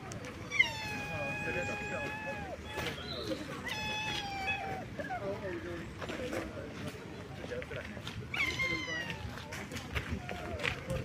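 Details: In Nara, Japan, a deer gives long, high, nasal bleats that waver and drop at the end, with pauses between; it is unclear whether it is crying out or gently begging for food.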